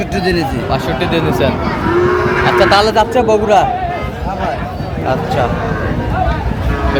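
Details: Sahiwal bull calf at a cattle market in Bogura, Bangladesh, on 13 March 2025, as a farmer buys it. A drawn-out, low moo rises and falls near the middle, over steady crowd chatter, market noise and faint music.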